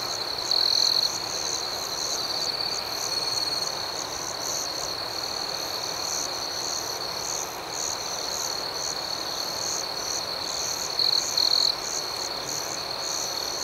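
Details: Crickets chirping at night outdoors, an even high-pitched chorus running throughout, with short louder trills at the beginning and again near the end.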